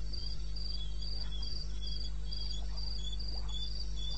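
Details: Crickets chirping around 2:30 AM in the wilderness of eastern Botswana in May; regular high chirps roughly four per second interleave with a fainter, slightly lower caller over a persistent low background hum.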